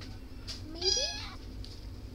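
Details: A single cat's meow, softer and fairly distant, rising and then falling, lasts about half a second against a quiet background hum.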